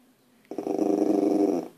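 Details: Puppy indoors trying to scare deer outside, giving a steady low rumbling growl lasting about a second, pulsing slightly, while a man coaxes it about the deer.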